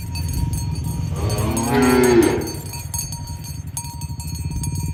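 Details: Herd of tame cows driven toward the pen in the morning along village roads; one fairly short moo rises to a peak, masked partly by a constant low trampling rumble and faint bell tones.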